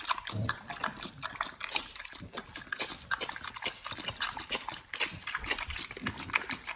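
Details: Raw-fed dogs chewing raw chicken breast and duck feet in close-up ASMR: vigorous wet crunching and smacking, fast irregular bites throughout.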